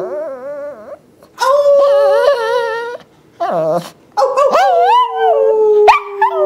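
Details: Yorkie Shih Tzu cross, a pet dog that does not yet howl properly, being taught to howl: three bouts of wavering, tremulous howls with rich overtones, the last drawn out and slowly falling, broken by short yips.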